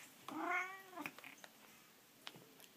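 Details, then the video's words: Pet cat indoors, softly meowing while its owner talks to it: one clear harmonic meow rising then falling, about half a second long, followed by faint clicks and a few quiet chirpy sounds. "makes cute kitty sounds!"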